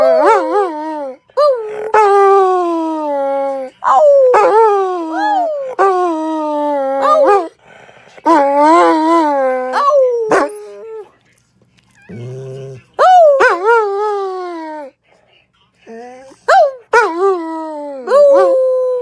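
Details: Howling dog repeating short rising-then-falling wails, some clipped to yelp-like notes, others held and sinking lower. A quiet gap midway brings a low murmur before the howls resume in bursts.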